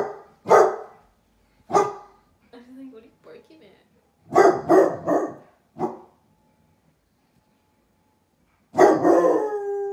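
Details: ['Basset hound puppies at a window barking at a stranger outside: loud, harsh barks in irregular bursts, including a quick double bark and a final drawn-out baying bark, with a soft whine and a person speaking between them.']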